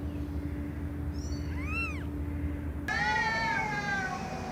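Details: Domestic cats meowing loudly: one short arched meow rising then falling, then after an abrupt cut a second, longer and drawn-out meow that slowly sinks in pitch, over a steady low electrical hum.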